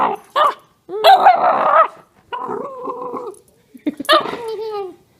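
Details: Begging house dog making odd noises: short sharp barks, a loud rough growling bark, a wavering drawn-out moaning whine, then another harsh bark sliding down into a whine, bouts separated by brief silences.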